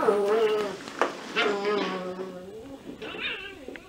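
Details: Cocker spaniel puppies of a litter playing in a ball pit, giving drawn-out, high, tonal whines and short squeaky yelps, one after another, over soft rustling and faint voices.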